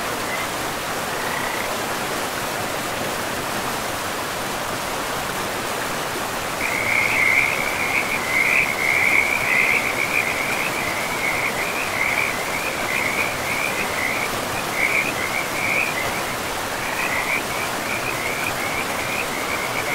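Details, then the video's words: Frogs by a river in a pristine forest of trees and moss-covered land: after a quiet start, a steady chorus of rapid, trilled, mid-high croaks sets in around the seventh second and rolls on, over a constant rushing of river water. "River and Frogs sleep sounds"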